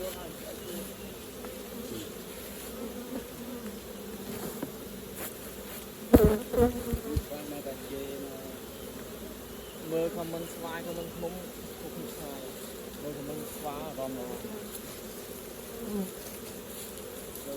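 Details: Honey bees at an open hive during raw honey collecting, a steady low droning hum throughout, with a sharp clatter near the middle and faint voices in the background.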